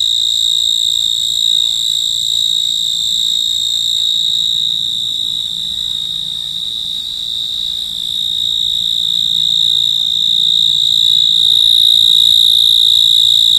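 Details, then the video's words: Insect calling at night: a steady, high, shrill ringing trill that holds on one pitch with faint overtones above, pulsing rapidly and evenly throughout, with a soft low rumble underneath. "Insect call of in night"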